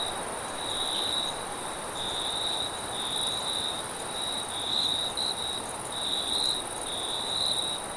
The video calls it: Crickets And Wind Sounds At Night Sound Effect